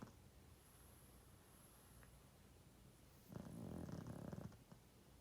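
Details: Sleeping 12.5-year-old male pug snoring loud: a single low, rumbling, rasping snore swells for about a second midway, against a quiet, steady background hiss.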